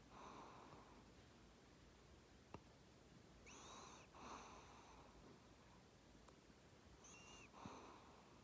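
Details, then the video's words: Sleeping Maltese dog snoring softly, wheezy breaths with a faint whistling nasal tone, three snores about three and a half seconds apart against quiet room hiss, with a sharp click near the middle. "말티즈 코골이"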